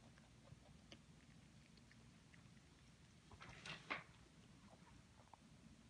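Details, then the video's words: Pet rabbit named Suzy eating, giving soft, dry crunching clicks that tick irregularly through a quiet room, with a louder cluster of rustling crunches near the middle. "Bunny is making Eating Noises"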